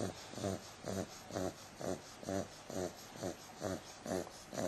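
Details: Bumble, an 8-week-old female bulldog puppy, snoring while asleep: rhythmic snorting breaths, about two per second, each a rough nasal rasp with a steady pulse and quiet gaps between.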